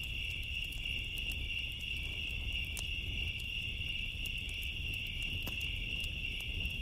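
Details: Crickets on a summer night beside a bonfire: a steady, unbroken high-pitched trill holds throughout, with sharp snaps and pops of crackling fire and a low rumbling hiss underneath.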